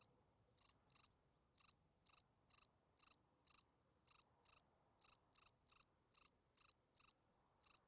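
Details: Night-time field cricket song: crisp, shrill chirps repeated steadily about twice per second, some closely paired, against near silence.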